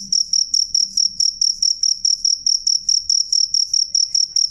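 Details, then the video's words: Loud, clear cricket chirping: a high, pure pulsed tone repeated steadily about twice per second, each chirp a short burst of rapid pulses, with faint low rumble underneath. "suara jangkrik jernih keras"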